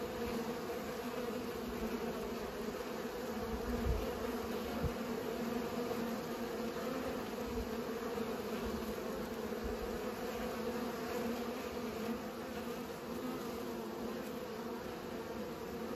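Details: Constant buzzing of bees at work pollinating, a sustained tonal hum with a stacked upper harmonic, steady in loudness over sixteen seconds, with occasional low bumps of wind or movement.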